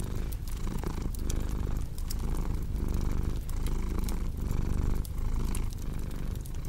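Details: Rhythmic cat purring, each inhale and exhale marked by a short dip roughly every three-quarters of a second, low and rumbling, with crackling firewood pops in the background.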